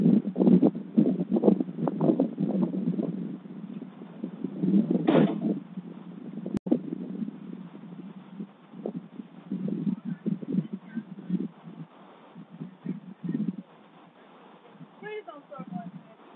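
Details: Barking dogs chase off a delivery driver, USA, January 20, 2022, captured on a Ring doorbell camera; rapid, crowded barks for about five seconds, then sparser barks, with a sharp click midway.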